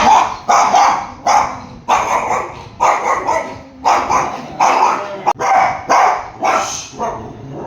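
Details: Three Dachshunds snap and bark angrily in quick, harsh bursts as they possessively squabble over their owner's lap.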